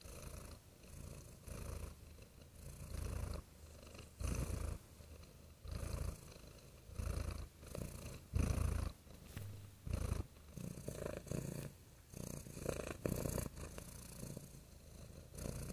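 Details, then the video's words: Real domestic cat purring softly, a deep low rumble rising and falling in steady breathing cycles about every second and a half, each pulse swelling then fading, with a quiet close indoor feel and no other sounds. "Soothing Cat Purring Sounds"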